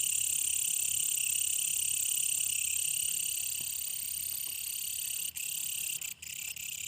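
A brown katydid gives a continuous, high-pitched shrill buzz that holds steady throughout.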